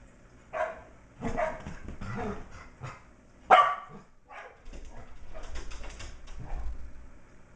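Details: Shetland Sheepdog puppy MacTavish, almost six weeks old, romps around a great room playing with older dog Sasha and teasing puppies still in their enclosure; a burst of high yapping barks, one loud sharp yip midway, then scuffling.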